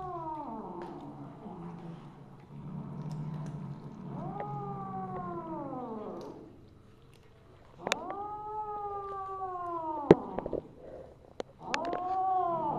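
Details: Siamese cat (Wichienmaat), a mother named Misu, recorded 2 January 2015 at 8:18 PM, giving long drawn-out harmonic meows that rise then slowly fall, three main calls with a quiet gap, faint clicks and handling noises between.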